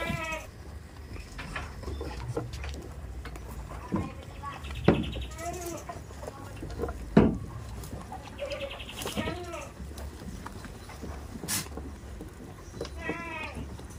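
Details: Goats kept on a village farm bleat repeatedly, with several wavering, nasal calls spread across the stretch, some overlapping. Sharp clatters and high, thin chirping sound in the background.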